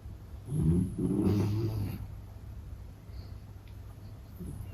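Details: Sleeping Beagle named Meta (Gege) letting out a rumbling, fluttering snore over about one and a half seconds, then quiet breathing against a low hum.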